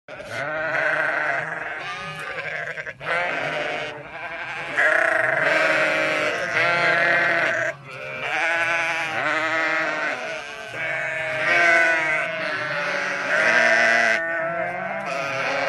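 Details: Lambs meeting their mothers, Sinop, Turkey: a dense chorus of overlapping wavering bleats, high lamb cries mixed with deeper ewe calls, nearly continuous with brief dips, one voice calling out briefly at the end.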